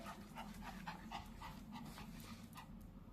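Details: Pomeranian dressed in winter clothes, panting in quick, fairly regular soft huffs at three to four breaths a second, with a low steady hum beneath.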